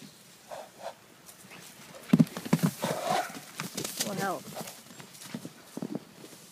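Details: Horses heard up close: a short wavering neigh that falls in pitch, with stacked harmonics, comes after low snorting bursts and scattered thuds. Human voices and other farmyard noises sit in the background.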